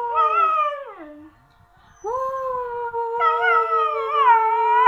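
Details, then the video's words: Siberian Husky howl: a falling note that slides low, a brief pause, then a long sustained howl that wavers and rises in pitch near the end. "Siberian Husky Luna aullando"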